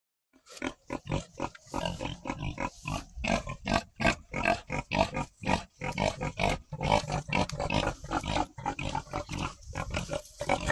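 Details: Domestic pigs on a farm, interacting playfully: a rapid run of short, rough grunts and oinks, several per second, broadband and harsh, continuing steadily with brief gaps.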